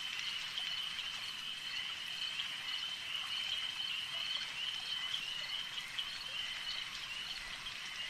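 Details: Quieter stretch of a lake frog chorus: an even, high continuous trilling with scattered faint ticks, set against soft ambient noise.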